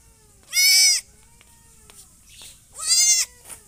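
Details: Two loud, quavering goat bleats, each about half a second long, with a soft, brief call between them and a short trailing note at the end.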